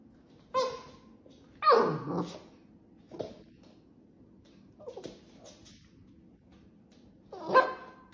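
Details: Pet dog reacting as a cake is cut, giving a few sharp indoor barks and a longer growling bark, spaced irregularly over several seconds with quiet gaps between, in a small room.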